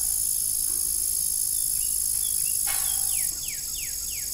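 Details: Old windmill farm at evening, crickets keeping up a constant high-pitched ringing chorus; a loud creak comes late, followed by a run of four quick descending chirps.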